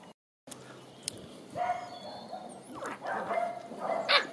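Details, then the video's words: Dandie Dinmont Terrier puppies, nine weeks old, playing in a garden with their mother and grandmother; short high yapping barks and whines in bursts over steady outdoor background noise. "Dandie Dinmont Terrier puppies"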